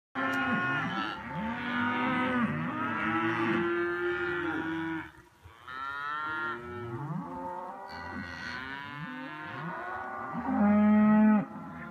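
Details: A cow herd on the Continental Divide Trail on 10 August reacts to passing hikers with several overlapping, drawn-out moos, some rising and some falling.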